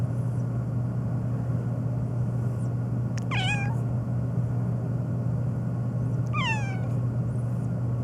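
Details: Black cat Phoebe on a long nonstop rant, meowing especially at sneezing: two clear descending meows about three seconds apart, each sliding down in pitch, with a constant low droning hum underneath.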